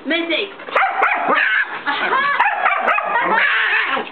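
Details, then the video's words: Young white mixed-breed dog seeking attention from an indifferent nine-year-old long-haired Chihuahua; continuous high-pitched yapping and squealing yips overlap closely, with hardly a gap across the stretch. "Bark bark bark! *ignore* BARK!!!"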